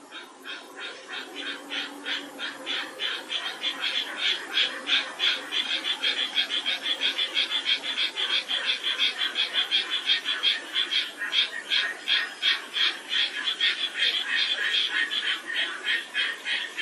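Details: Japanese tree frogs call actively around a reservoir pond at a nature observation forest in Toyota City, Aichi, Japan, in May, near spawning time, giving fast, raspy, quacking notes about three times a second in a steady chorus.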